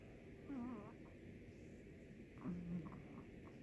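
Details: Sleeping Chihuahua snoring indoors: soft, quiet breaths carrying a wavering nasal whistle, two snores about two seconds apart over a low room hum.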